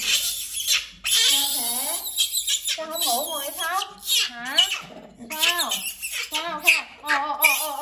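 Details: Monkey LyLy crying because she does not want Tommy the cat to sleep in her bed: high, wavering, wobbling wails in rapid bursts, overlapped by a woman speaking Vietnamese to soothe her indoors.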